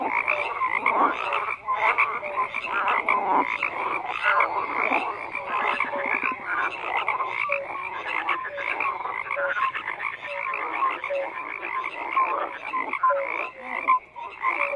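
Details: Thick, unbroken croaking of numerous frogs, harsh pulsed calls layered densely, with occasional short tonal chirps rising above the din.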